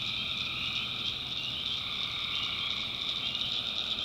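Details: Tree frogs calling at night in a swamp in the backwoods of North Carolina: a dense, unbroken high trilling chorus with a steady lower droning layer beneath, no pauses throughout.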